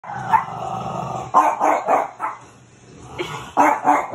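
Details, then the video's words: A French Bulldog barking at his reflection the first time he saw it, indoors; bursts of sharp, mid-pitched barks come in quick clusters, with a short lull midway before another rapid run. "our Frenchie barking at his reflection"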